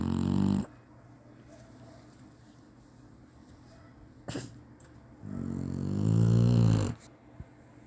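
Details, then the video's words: Spike, a Chinese Shar-Pei, snoring as usual while napping: two deep, rumbling snores, one short at the start and a longer swelling one near the end, with quiet breathing between. "cachorro roncando bonitinho chinese sharpei"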